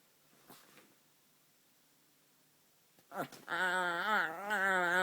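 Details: White Chihuahua puppy, after near silence and a faint rustle, breaks into a rising, wobbling, high-pitched harmonic whine that swells and holds for over a second.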